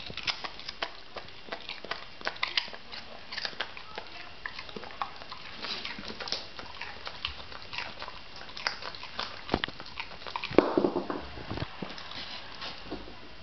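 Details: Homer, an English Springer Spaniel, crunching on a leftover carrot indoors; dense, irregular crisp crunches and snapping bites in quick succession, with one louder burst of biting near the end.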